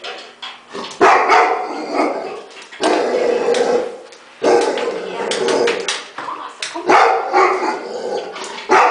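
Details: Labrador Retriever, male, barking excitedly in bursts while seeing itself or another dog on TV; loud broadband barks at roughly one to two second gaps, with speech and TV sound in between.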